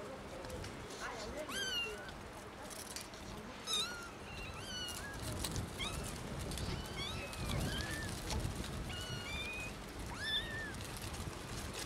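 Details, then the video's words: Three small kittens left in a garden cry out loudly, giving a steady run of short, high, arched meows roughly every second or two, some overlapping, against a low outdoor rumble. "3 New Kittens Meow Loudly"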